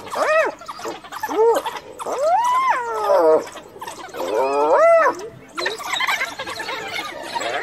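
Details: Hyena cornered by wild dogs, calling for backup until a fellow clan member arrives; a run of loud arching whoops and giggle-like wails, some short and some drawn out, separated by brief pauses amid rustling noise.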